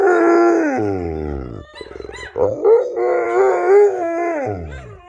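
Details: Pet Rottweiler Mylo howling along with other dogs' howls, giving a steady tonal howl that drops into a low growly fall, then a wavering, quavering stretch before a second sustained howl that slides downward.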